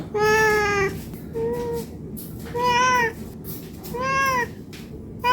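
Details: Hungry domestic cat meowing to ask for food, four drawn-out harmonic meows, the first long and level, later ones arching up and down, spaced about a second apart, indoors.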